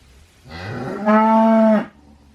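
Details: A single cow moo, rising into a steady, strong harmonic bellow lasting just over a second before cutting off, with faint low hum underneath.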